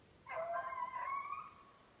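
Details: Beagle in Maine on 14 July 2019, conditioning on snowshoe hare: one drawn-out, ringing bay lasting just over a second, level and slightly wavering in pitch, then quiet.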